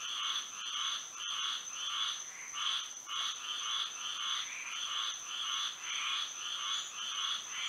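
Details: Frogs singing at night under moonlight in Florida: a dense chorus of nasal, pulsed croaks repeating almost twice a second, bands stacked at two pitches, over a steady high insect-like whine.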